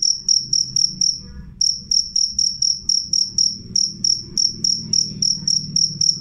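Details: Clear, loud cricket used as a rat repellent, chirping in sharp high pulses about four per second, briefly pausing near the one-second mark before resuming, over a low background rumble.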